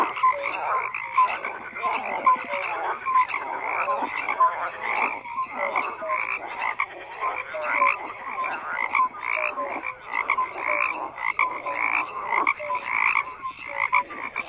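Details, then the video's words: Dense chorus of many frogs croaking together without pause. Rough, raspy croaks overlap with short, higher tonal notes that pop up every second or so, in an unbroken wall of sound. "FROGS CROAKING"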